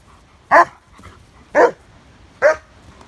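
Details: A German Shepherd from a pack in sunny weather gives three loud, deep, evenly spaced barks, about one per second, each short and full, over a quiet background.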